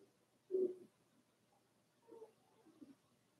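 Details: In Daisy's indoor puppy pen, a four-week-old Cavalier King Charles Spaniel puppy gives one short low whimpering whine, followed by two fainter, softer murmurs in a quiet room.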